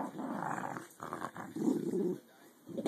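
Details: Adult American Eskimo dog, two-year-old female Lexi, growling during a tug game with a puppy, trying to sound mean; low rumbling growls in two bursts with a short pause, indoors.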